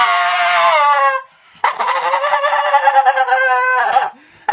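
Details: Jinx, a female blue Staffordshire Bull Terrier, throwing a tantrum: a long, tonal, whining howl that slides downward, then a short pause and a second sustained, wavering howl of about two and a half seconds.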